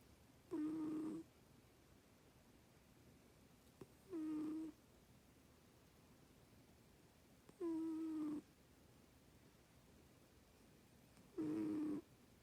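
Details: Sleeping pet cat snoring indoors: four short, soft, tonal snores with a faint buzzy edge, each under a second, spaced about three to four seconds apart over a quiet hiss.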